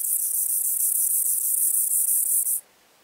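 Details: White-clubbed grasshopper singing near Elsbethen, Austria, on 18 September 2020: a dense, high-pitched rasping buzz made of rapid pulses, steady in loudness for about two and a half seconds, then stopping abruptly into near silence.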